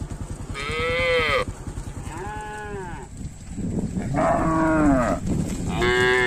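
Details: Tame village cattle roaming fields and drinking at a village lake: four harmonic moos, each about a second long, arching slightly in pitch, over a steady low engine-like rumble.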